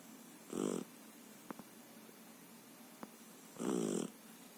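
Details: Sleeping Japanese dog snoring loudly: two harsh, rattling snores about three seconds apart, with faint clicks between them in a quiet room.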